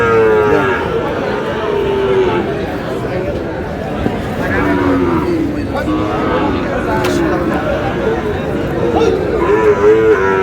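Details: At a Munshiganj cattle market on 11 August '26, Sahiwal bull calves low while buyers haggle. Brief mooing at the start, more bellows toward the close, with dense talk and crowd noise throughout.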